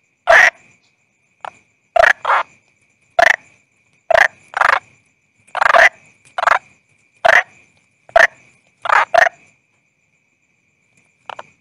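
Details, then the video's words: A calling toad gives a steady series of rough, clipped croaks about once a second, often in quick pairs, with a thin constant high whine running behind them. "Toad Calling Sound"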